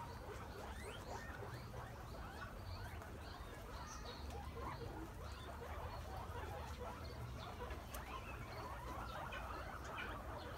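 Guinea pigs keep up a busy stream of short squeaks and chuttering chirps over a low rumble.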